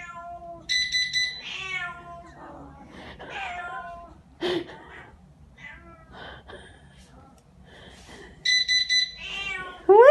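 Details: Domestic cats indoors meowing in reaction to a home alarm system; several rising and falling meows of varied length, interleaved with repeated electronic alarm beeps at the start and near the end, plus quiet human voices.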